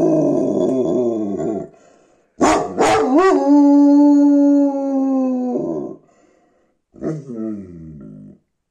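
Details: A Karakachan livestock guardian dog, tagged Bulgaria, gives a long, steady howl after rough, wavering vocal starts.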